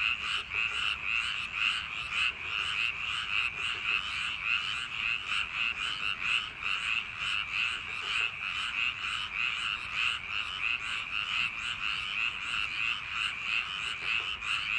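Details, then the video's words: Many frogs in paddy fields on a summer night, their overlapping croaks merging into a constant bright trilling chorus with quick regular pulses throughout. "여름밤 논두렁개구리소리"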